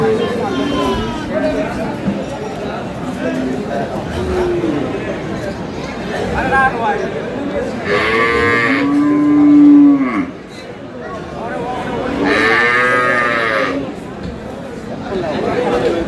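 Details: Dairy cows and calves of an improved breed at Aftabganj cattle market, Dinajpur, on 12/5/26: two long, deep moos, one near the middle and one toward the end, amid steady market chatter and a man clearing his throat.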